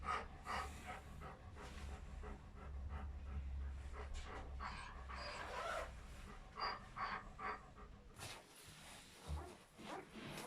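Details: German Shepherd Dog in labour, delivering a litter of seven puppies indoors; rapid, irregular breathy panting bursts come steadily across the clip, joined by soft rustling and a faint murmur of human voices.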